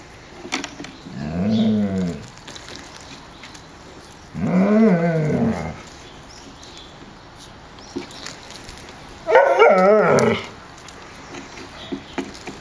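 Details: Puppies playing in a kennel yard on a mild winter day, 30 January, 14 °C; three drawn-out growling, whining vocalizations with wavering harmonics, spaced a few seconds apart, quiet between.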